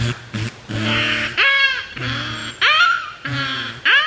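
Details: A beluga whale at Shedd Aquarium vocalizes during a training session with a run of rising squeals and nasal, harmonic moans that sound almost like a voice.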